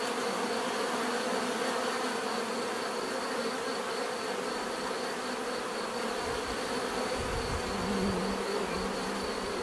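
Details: A crowd of bees buzzing in a continuous drone; midway a deeper, louder buzz of a single bee flying close swells in and lingers, while a faint high whine persists behind.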